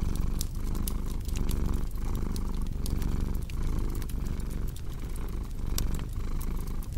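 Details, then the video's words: A cat's low, buzzing purr rises and falls in even breathing cycles, while a cozy fire adds bright irregular pops and crackles on top. "Purring Cat with Cozy Crackling Fireplace Sound"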